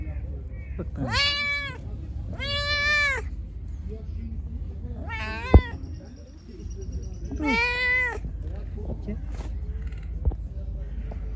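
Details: A hungry pregnant stray cat, angry and later attacking the person feeding it, lets out four strong arched meows, two close together early, one near the middle and one later, plus a thin steady tone and low rumble.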